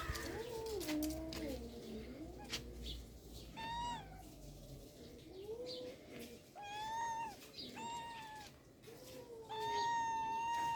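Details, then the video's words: Rural cats calling: a long run of meows, some low and wavering, others higher and bent, repeated every second or two over faint background rumble. "The sounds of cats in rural life are beautiful"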